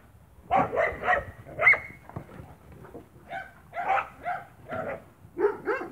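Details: Spanish Mastiff barking on a farm on 1 October 2017: a run of deep, full barks in clusters of two or three, with pauses between bursts.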